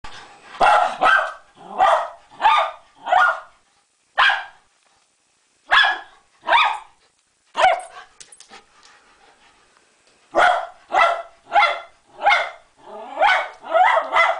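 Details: Female miniature schnauzer barking indoors in a bathroom, frustrated at a fly on the wall she cannot reach: sharp, rough barks in quick runs of three to five, with a short quiet gap in the middle before the barking resumes.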